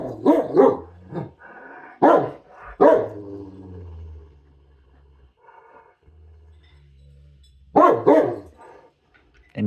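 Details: Dog in a fit of hungry anger over its food, letting out wavering, moaning barks in separate bursts, with a person talking during the quieter gaps.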